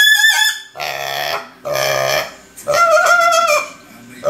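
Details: A hungry young pet piglet squealing loudly: three shrill, harmonic-rich squeals of about half a second each, the last one slightly wavering, with short pauses between them.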